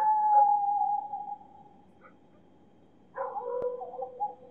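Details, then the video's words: Dogs howling and barking far away in a city at night: a long, steady, clear howl fades out, then after a quiet pause a second, wavering howl rises with bright overtones and a short sharp knock. "Dogs howling and barking far away at night"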